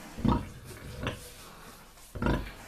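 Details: A sow on her first day after her second farrowing, 28 January 2019, with 9 surviving piglets, gives low, short nursing grunts about a second apart, calling the piglets to feed as her milk lets down.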